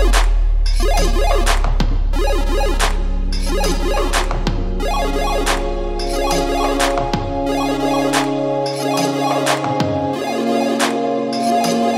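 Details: Loud electronic dance music with a pounding beat and synth lines plays throughout, with no animal sound.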